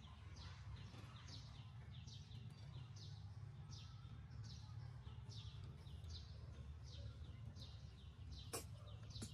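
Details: Baby monkey crying loudly from hunger to ask for milk, its high, falling squeals repeating steadily over about nine seconds against heavy low-pitched hum, with a couple of sharp clicks near the end.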